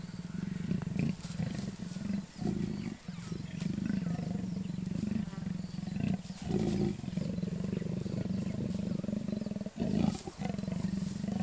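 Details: During mating of a wild leopard pair in the Kruger National Park area, South Africa, a steady guttural growling drones on, interrupted by short gaps near the second, third, sixth and tenth seconds.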